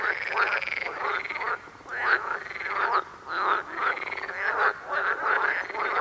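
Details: Frogs among yellow lilies croak in a steady run of arched, nasal notes, each under a second long and repeated with short gaps.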